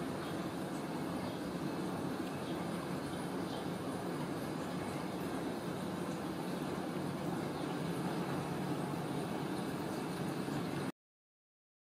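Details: Dense, continuous roar like passing traffic or a train fills nearly eleven seconds, then it cuts to silence, with no animal voice.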